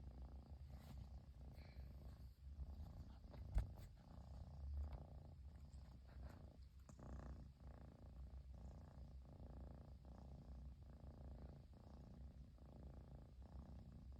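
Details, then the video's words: Persian kitten purring without pause after its owner came back home; low, buzzing purr cycles repeat steadily, with one brief sharp knock near the middle. "飼い主がやっと帰ってきてぐる音が止まらない子猫🐱purling kitty"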